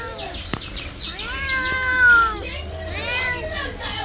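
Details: Pet cat, angry while being bathed, gives a long drawn-out meow that slides slowly downward, followed by a shorter, rising-then-falling meow; faint high chirping in the background.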